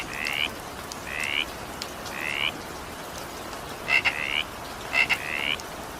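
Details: Frog calling during evening rain: five short, rising, buzzy croaks about a second apart, two of them led by sharp double clicks, over a steady hiss of falling rain.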